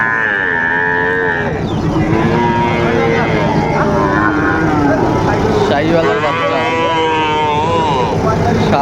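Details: Sahiwal bull calves at a livestock market in Kurigram, Bangladesh, on 7 April 2025; a long, steady, tonal moo rises out of the din of bargaining voices and passing engines.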